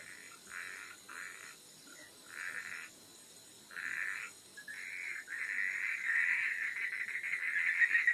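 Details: Frogs calling at night: short raspy bursts of croaking in separate clusters, then merging into a continuous rattling chorus that swells louder toward the end, over a faint high steady insect hum.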